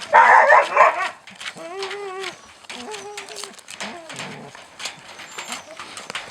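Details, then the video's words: Siberian Husky puppies being fed: a burst of noisy barking, then thin wavering whines and short rising whimpers while a person talks over them. "щенки хаски+звук"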